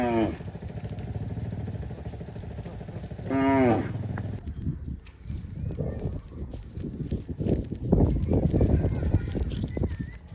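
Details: A cow running back to the barn gives two drawn-out, rich moos, one at the start and another about three seconds later, followed by low rumbling noise and scattered thumps.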